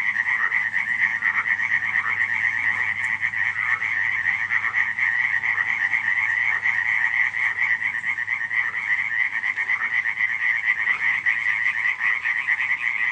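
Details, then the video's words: Nighttime frog chorus recorded at Radziszów, July 2015. Countless frogs call together as a steady, rapid, pulsing rattle with a strong high band over a weaker lower band, unbroken from start to finish. "nocne kumkanie żab"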